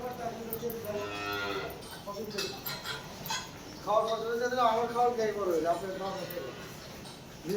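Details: Cattle kept for Qurbani sacrifice at a farm by Ati Naya Bazar, Keraniganj, Bangladesh; two drawn-out harmonic moos, the second louder and wavering over about three seconds, with people talking nearby.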